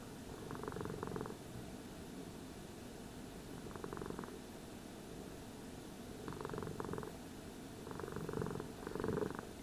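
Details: A cat being brushed purrs in a quiet, even rumble, with gentle pulsing bursts at intervals and only faint brushing noise behind.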